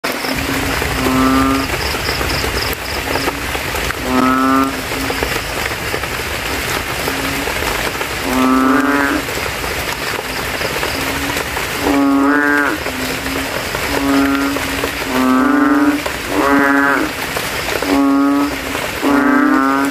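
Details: Banded bullfrogs calling at night after rain in a puddle in a cemetery, males inflating their throats and competing to sound loudest; deep, nasal, moaning honks, about nine spaced one to three seconds apart, over a steady rain-like hiss and a thin high insect tone.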